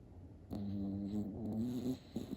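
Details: A young cream poodle snores in a quiet room. One tonal, humming breath lasts about one and a half seconds, followed by a short second snort.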